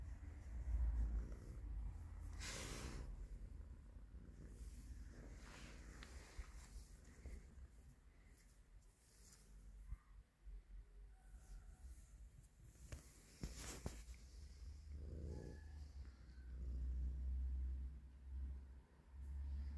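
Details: Stray cat with colorful fur living on the street, seeking petting; continuous deep purring rumble rising and falling in loudness, broken by rustling, scratchy handling noises and brief louder bursts.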